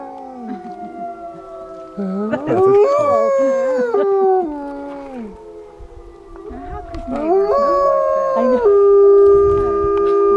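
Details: Pack of wolves in Idaho howling in chorus after a man's howl: overlapping voices rise, waver and slide in bursts, easing briefly midway, then swelling again into long steady howls at several pitches.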